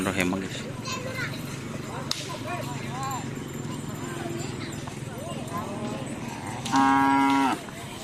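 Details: Cattle at a karapan sapi bull race training event at Asemanis field in Pamekasan: a loud, steady harmonic moo near the end, amid crowd chatter, voices and background noise.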